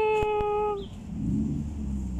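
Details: A homeless cat gives one steady, level meow lasting under a second, which ends abruptly and gives way to a low rumble and murmuring voices.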